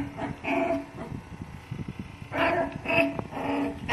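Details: Female Labrador Retriever puppy growing up without her mother, giving short high whimpering cries in bursts with a steady tonal band, pauses of low rumbling background between them.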